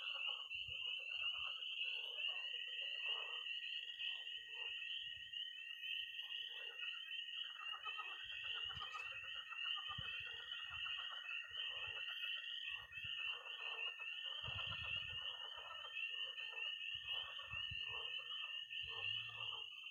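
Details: Nighttime early spring chorus of frogs and toads at a Missouri pond: nonstop high peeping, choppy bursts of croaking, and a long, even, steady trill from about two seconds to the end.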